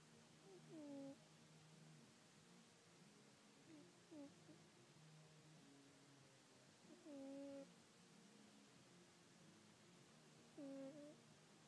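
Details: Small sleeping pet cat snoring indoors: soft, whistled nasal tones with a falling end, recurring about every three seconds against a quiet, hissy room background.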